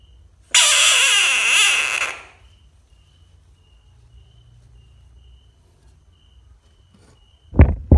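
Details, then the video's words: One drawn-out, rasping frog scream of about one and a half seconds, followed by quiet and then a couple of sharp knocking sounds at the end. "Screaming frog funny frog sounds"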